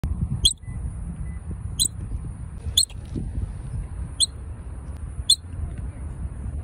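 A squirrel gives sharp, high chirping squeaks about every second over a low background rumble.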